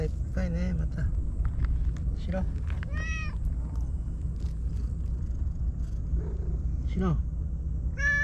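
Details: A lone stray white cat living on seaside tetrapods in Japan warmly greets a visitor, giving about four clear, rising-then-falling meows spread over eight seconds, while a woman speaks softly over a steady low rumble.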